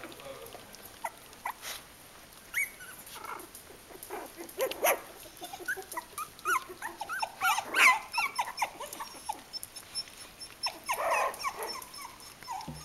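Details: Three-week-old Kooikerhondje puppies of the H litter at Vom-Veenufer kennel, giving scattered high whimpers and squeaky yelps with short grunts, several pups calling over one another amid rustling and faint handling noise.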